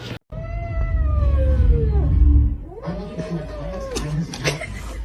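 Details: Domestic cat giving two long drawn-out meows, the first sliding slowly downward, the second steadier before dropping at the end, with a low rumble of handling noise beneath and a few sharp clicks.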